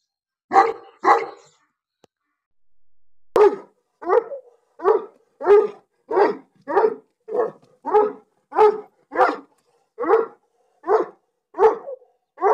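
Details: Pakistani Bully dog barking: a steady series of about seventeen deep, short barks, roughly one every two-thirds of a second after a brief pause, in a quiet setting.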